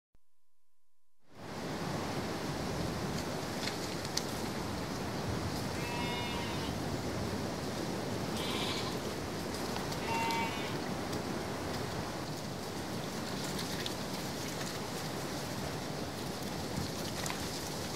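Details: A running flock of sheep gives three short, quavering bleats spaced a couple of seconds apart as it moves up a lane, with wind rushing through the trees throughout.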